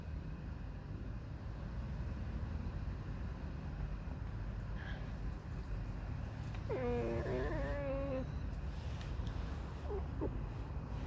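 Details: Alice the pet fox squeaks and whines in a mournful, sulky mood. Low rumbling background dominates at first. About seven seconds in, a wavering, creaky whine of a second and a half rises and falls, followed by a faint brief squeak.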